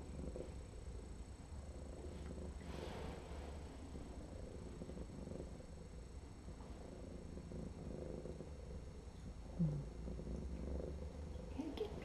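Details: Trapped feral female cat, heavily infested with lice, purring with pleasure while her foot is cleaned during an intake exam; a continuous deep, even rumble runs throughout, with a few soft rustles and clicks nearby.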